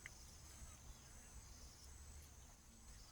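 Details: Insects in a backyard keep up a thin, steady high-pitched buzz without a break, over a low rumble of wind or distant traffic.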